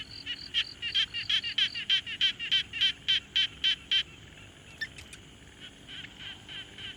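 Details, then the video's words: Frog at a quiet pond, field-recorded on a Tascam Portacapture X6: a steady run of short, bright, high-pitched pulsed notes about three or four per second for four seconds, a brief sharp chirp, then a fainter, softer series of similar notes. "Frog Sounds"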